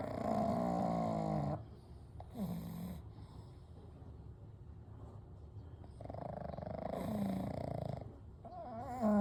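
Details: Snoring of pugs Kou, Gen and Shun, three pugs sleeping together at night: rattling, pulsed snores with a whistling, wavering overtone, in bursts of about one to two seconds separated by quieter breathing.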